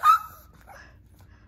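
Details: Female Shih Tzu named Lacey, begging for treats indoors, gives one sharp high yip that slides downward, followed by a soft murmur and quiet room hum.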